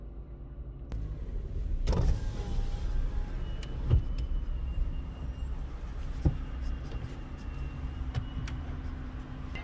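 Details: Low car engine rumble inside a vehicle, with a power window moving and a few clicks and knocks, but no animal voice.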